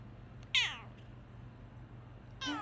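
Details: Male Bengal cat waking up from his nap, giving two short, high mews about two seconds apart, each sliding downward in pitch, over a steady low hum with a quiet room background.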